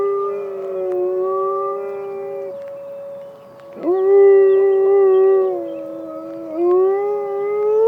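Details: Penny, a Malamute Great Dane dog, howls in response to an emergency siren test: two long, tonal, harmonic howls that slide and waver, the second starting with a sharp upward swoop, over the steady whine of the siren.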